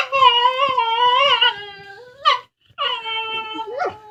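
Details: Pair of dogs talking to each other over a bone with drawn-out, tonal whines that waver slightly, a short rising yelp, a brief pause, then another long steady whine ending in a squeaky upward flick.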